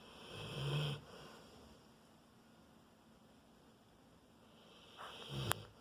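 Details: Sleeping Rottweiler, four years old, giving a low, rumbling snore in the first second, then quiet breathing before a shorter snorting breath near the end.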